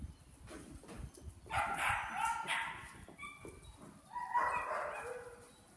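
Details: Belgian Malinois male puppy, son of Berry2, during KNPV foundation training: two drawn-out, high-pitched yelping barks about two and a half seconds apart, with low handling noise and faint speech around them.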